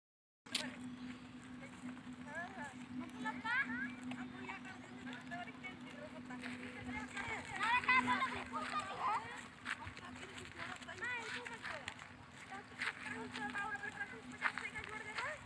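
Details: Goats, including kids, bleat in high, wavering cries over a steady background hum.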